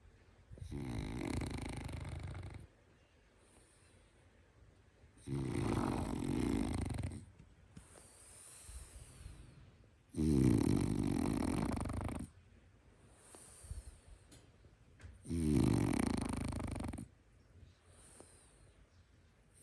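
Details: French Bulldog snoring heavily: four loud, low, rumbling snores each about two seconds long, arriving roughly every five seconds, with softer whistling breaths in between, in a quiet room.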